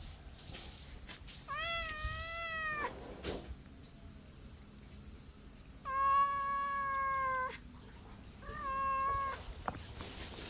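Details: Cat giving three long meows separated by quiet gaps, the first arching and wavering, the second flat and steady, the third shorter, with faint room noise between.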